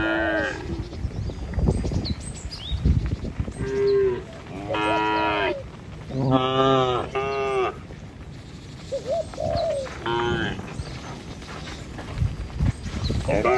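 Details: Dozens of tame cattle in a village herd on a morning walk to feeding fields, crossing a river bridge with their herder; several drawn-out harmonic moos, some rising then falling, overlap one another amid hoof shuffling and low rumble.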